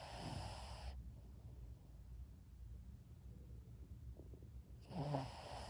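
A sleeping Shih Tzu snores with low, rumbling breaths.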